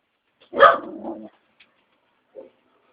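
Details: An Aspin dog, a Filipino street-type pet, gives a short drawn-out vocal moan, rising then falling, followed by two faint tiny yips, in a quiet room.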